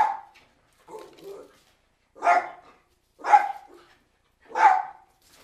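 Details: Cairn Terriers giving loud, abrupt barks roughly once a second, preceded by two softer, lower woofs. Each bark is short and punchy against an otherwise silent background.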